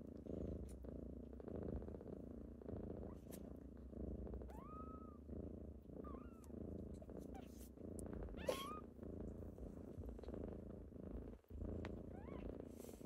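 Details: Steady rumbling purr of kittens at morning wake-up time, pulsing evenly for the whole stretch, with a few small rising mews around the middle and a brief dip near eleven seconds.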